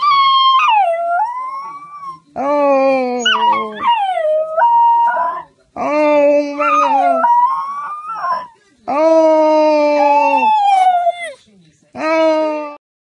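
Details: Basenji dog holding a back-and-forth talk with its owner through growls, yodels and howls; loud wavering, yodelling howls in five bursts separated by short silences, some rising and falling sharply in pitch.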